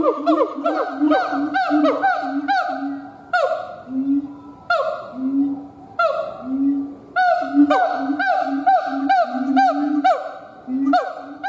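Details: A siamang gibbon howls in a dense series of ringing, arched notes that rise and drop sharply, delivered in quick runs broken by a few slower, drawn-out swelling calls midway.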